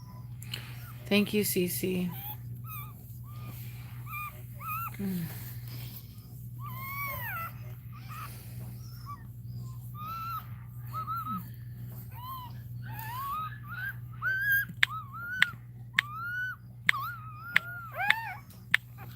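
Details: Cane Corso crying during Cashmere's labour: after early talking, a run of short, thin, high whimpers and squeaks repeats every second or so, some rising then falling, over a steady low room hum.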